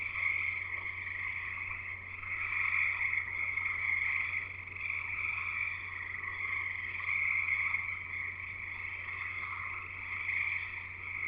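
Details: Singing frogs at a house in Escanaba, in Michigan's Upper Peninsula, heard as a thick chorus of shrill, high peeping calls merging into a continuous pulsing drone that surges every few seconds, with a low steady hum beneath.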